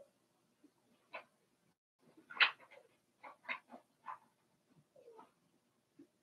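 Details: Four-week-old Cavalier King Charles Spaniel puppies from Daisy's litter in their puppy pen: a quick run of about nine short, high whining yelps over six seconds, some rising then falling, in a quiet indoor room.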